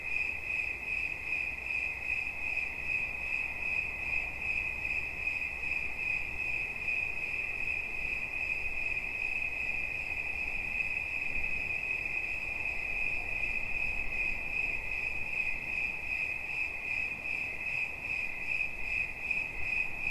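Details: Steady cricket chirping offered for relaxation. A single high, piercing note pulses in fast, regular beats over twenty seconds against low rumbling hiss, with no other clear sounds.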